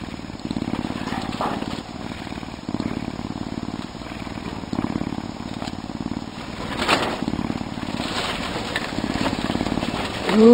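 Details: A Canada lynx, an animal ambassador, gives a steady, deep, low purr, a rough engine-like vibration that swells and fades with each breath, in waves roughly every one to two seconds.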